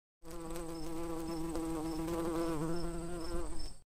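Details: Bee. A bee buzzes continuously, a rich, low droning hum that rises and dips a little as it goes. The buzz is steady and unbroken, with no other clear sounds behind it.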